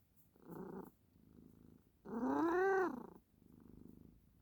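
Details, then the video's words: Domestic cat giving one clear meow that climbs and then falls, lasting under a second, set between softer breathy, purr-like bursts before and after. "Wait and see the meow coming"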